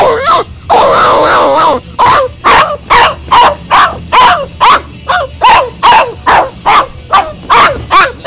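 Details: Crated Boxer puppy named Hugo, upset when left alone during crate training, gives rapid repeated yelping cries, about two per second, after an opening drawn-out whine.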